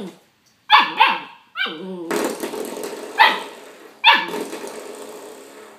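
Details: Young male puppy barking at a doorstop while fighting and biting it; sharp, high yappy barks with a bending tone, five bursts roughly a second apart, some trailing into a short growly yelp, with light rustling between.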